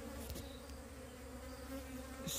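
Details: Wild bees from a divided colony being moved to a new box; a constant low droning hum with faint pitch wobbles, plus brief handling clicks at the start and end.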